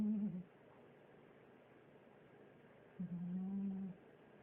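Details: Pet cat Garfield snores indoors: a brief low tonal snore opens, then after a quiet gap of about two and a half seconds comes a longer, steady humming snore lasting around a second.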